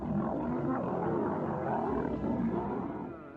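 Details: Two male lions charge at each other in a brutal fight; dense, rough growling roars fill the whole stretch without pause, then ease off slightly toward the end.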